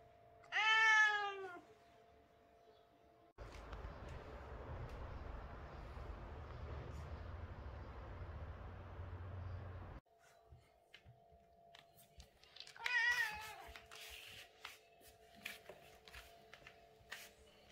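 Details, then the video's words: British Shorthair cat meowing during the day: a short, harmonic, slightly falling meow at the start and a second wavering meow near the end. Between them is a long stretch of broad rumbling noise, followed by scattered faint clicks. "British cat meowing, cat sound"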